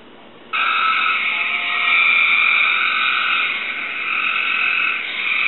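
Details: Captive Cope's gray treefrog singing in response to a played recording: after brief quiet, a loud, continuous, fast buzzy trill starts and holds steadily for about five seconds with a bright, high ringing tone.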